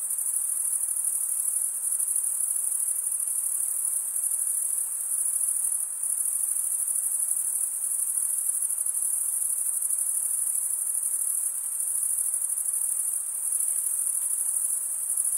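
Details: Chorus of stridulating male crickets: a constant sharp, high trill holds throughout, dipping briefly in loudness a few times, no other animals or voices present.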